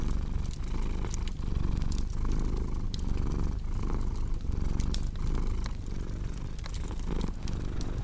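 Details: Low rumbling cat purr, rising and falling in slow breathing cycles under frequent crackles and pops of a burning fireplace.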